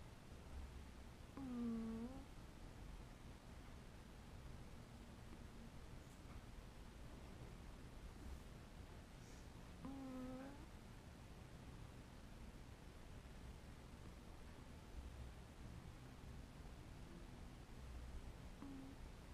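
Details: Domestic cat making sleepy noises while asleep: two short, soft, squeaky mew-like sounds with a slightly wavering pitch, about eight seconds apart, over a quiet, steady low hum and faint rustling.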